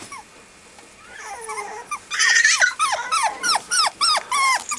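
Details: Male Mame Shiba puppy at a Japanese breeder, whimpering in a rapid series of sharp, downward-sliding yelps, about three per second, after a soft rising whine at the start.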